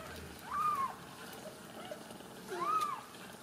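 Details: Two thin, drawn-out mews about two seconds apart from Ragdoll kittens in a central Kansas home cattery, quiet against a low background hiss.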